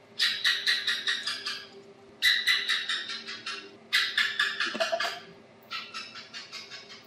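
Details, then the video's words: Asian house gecko, known in Vietnam as thạch sùng, giving bursts of sharp clicking chirps, around eight to ten quick notes per series that slow and fade. Three loud series come in turn, then a softer fourth, over a faint steady low hum. "Tiếng Kêu Con Thạch Sùng - Aisan House Gecko Sound Effect"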